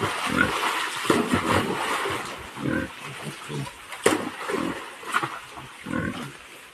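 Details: Wild boar being caught gives rough grunts and harsh squeals in irregular bursts.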